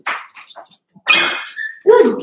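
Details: Cavalier King Charles Spaniel puppies, a litter born 06/09/2022 with Ruby and Blenheim coats, bark and yelp overnight: a sharp opening yip, a long strained bark trailing into a thin whine, then a lower, louder yelp.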